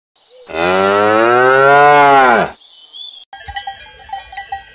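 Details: Domesticated cow mooing: one long, loud, steady moo of about two seconds with rich stacked harmonics, ending in a slight downward bend, followed by cowbell clanks and faint background sounds.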